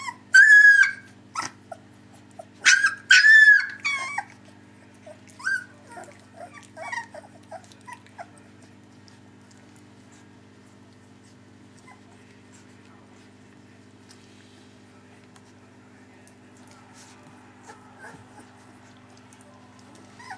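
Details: Three-week-old puppies from the Aida/Oliver litter whimper: several loud, high, bending squeals in the first four seconds, then a scatter of softer squeaks that fade out. A low steady hum runs underneath.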